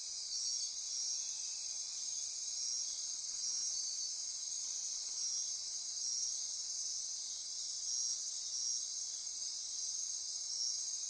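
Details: Nocturnal chorus of insects in Costa Rican rainforest by Corcovado National Park, Osa Peninsula: constant high buzzing and ratcheting, with faint pulses repeating irregularly about every two to three seconds over the steady drone.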